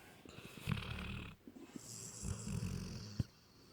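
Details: Lukas, a pampered Labrador Retriever puppy, snoring while asleep: two low, rumbling snore breaths with a rough, fluttering texture, one lasting about half a second and a longer one near the end. Quiet room, no other clear sounds.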